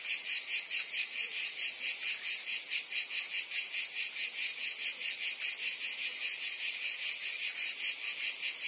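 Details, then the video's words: Singing cicadas of Provence in France during summer: a harsh, high-pitched electric buzz beating in rapid pulses, slightly uneven where neighbouring insects overlap, with nothing else audible. "Cicadas singing in France (Provence)"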